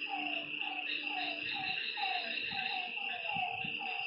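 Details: Frogs at a lake after dark give spaced, short, slurred notes that drop in pitch, roughly three per second, against a continuous high insect buzz and faint low rumbles.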